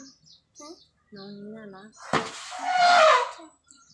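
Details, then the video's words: Elephant giving one loud, harsh, roaring blast lasting about a second and a half, rising sharply then fading, after a few soft voiced sounds that resemble people talking nearby. "ดูและฟัง เสียงของช้าง"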